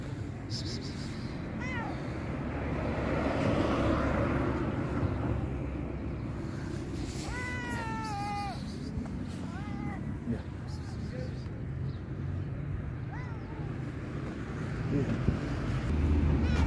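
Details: Very hungry fluffy-furred stray cat crying, giving a few scattered meows, the clearest a pair of drawn-out falling cries near the middle, partly buried under constant low rumbling background noise, possibly from vehicles.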